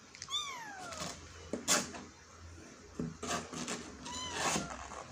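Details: Two descending, harmonic meows from a kitten trying to escape a hole, one at the start and one near the end, separated by rustling and scraping noises.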